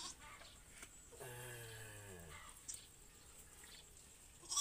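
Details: Goat bleating during an assisted birth as a farmer helps deliver a kid: one wavering, harmonic bleat lasting about a second, slightly falling, amid quiet room noise with a sharp knock at the end.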